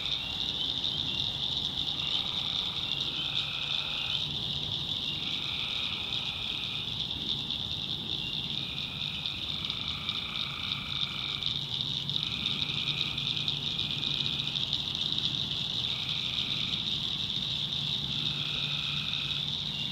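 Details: In the North Carolina backwoods after dark, tree frogs sound a constant piercing chorus over a swamp. Lower, buzzy trills rise out of it again and again, each lasting one to two seconds, in a steady alternating rhythm.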